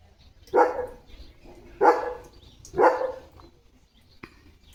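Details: Morning play from Leo, a pet German Shepherd at home: three strong barks roughly one second apart, then quiet with faint background noise.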